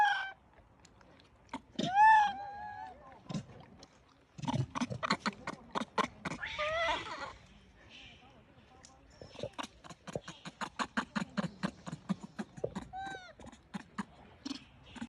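A baby monkey gives thin, squeaky calls that rise and fall, amid clicks and handling noises.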